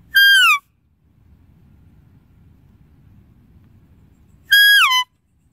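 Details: Two loud, reedy deer calls open and close the stretch, each a brief high whistle with many overtones falling in pitch, separated by four seconds of faint low rumble.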